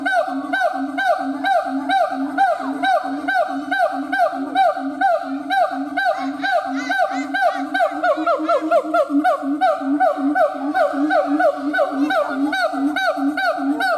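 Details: Howling siamang gibbon: a fast, even series of short rising barks, about two per second, over a sustained droning tone, continuing without pause.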